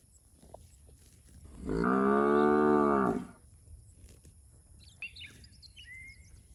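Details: Fat, healthy village cow roaming with its herd in rice fields gives a single sustained moo of about one and a half seconds, even and full. Faint chirps follow in a quiet rural background.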